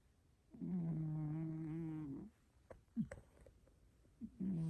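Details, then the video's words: Hairless domestic cat weighing 6.5 kg, snoring indoors: a low, steady droning snore with a buzzy, layered tone lasting about one and a half seconds. Short soft snuffles follow, then another snore begins. "6,5kg hairless cat’s snoring zzzz🙀🙀🙀毛なし猫さんのイビキ"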